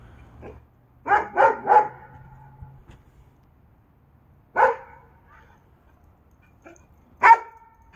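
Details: Fat dogs barking to chase a fox away: a quick burst of three gruff barks, then single loud barks after pauses of about three seconds, with a faint low hum beneath.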